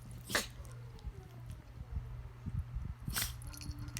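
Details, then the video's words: Two toy poodles, a white 2-year-old and a charcoal 10-11-year-old, wrestling playfully without aggression, sneezing to show they are not attacking; two sharp, breathy sneezes, one near the start and one near the end, over a low steady hum and soft rustling. "Toy poodles wrestle and sneeze"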